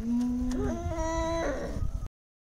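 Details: Domestic cat being bathed, giving a long drawn-out meowing wail that holds steady, then rises and breaks into a wavering tail, with a man talking just before.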